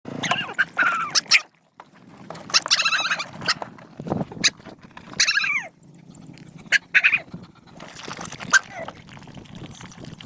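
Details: Hungry dogs being fed. Several high, wavering whimpers rise and fall in short bursts, separated by brief gaps and soft rustling.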